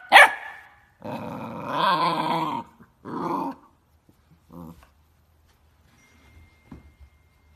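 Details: Pet dog in a funny compilation lets out a sharp yelp, then two long, rough, growling barks lasting one to one and a half seconds each, followed by faint short grunts and quiet.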